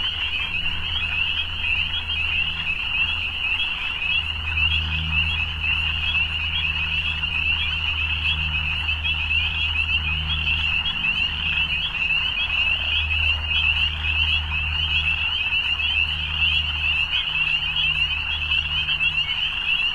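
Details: Frogs calling at evening produce a sustained high buzzing trill chorus without pauses, while a low droning hum, like a passing or idling vehicle, swells and fades beneath it.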